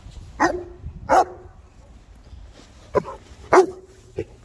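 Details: Three Boerboels, South African mastiffs, playing together: short sharp barks, some with a brief held tail, come in two pairs about half a second to a second apart, separated by a quiet gap.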